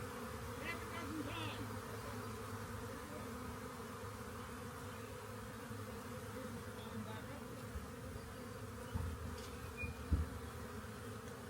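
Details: Swarm of honey bees gathering on a walk-in door; steady droning buzz with a low constant hum beneath, a few faint chirps and soft thumps toward the end.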